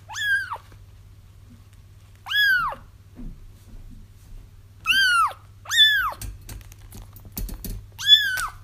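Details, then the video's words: Kittens crying for trapping a feral mother cat; five arched, harmonic mews, two close together midway, followed by a burst of clicking or tapping noises before the final cry, over a faint hum. "30 minutes of Kittens Crying"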